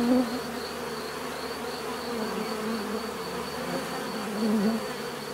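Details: Bees hum in a thick, continuous buzz, individual insects sweeping nearer at the start and again near the end, their wing tones sliding slightly in pitch over the constant swarm drone.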